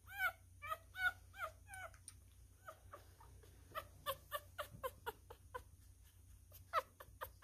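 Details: ['During a feeding, a newborn male miniature schnauzer gives quick high squeaks in a cluster, then a softer stretch of fainter chirps before louder squeaks return toward the end.']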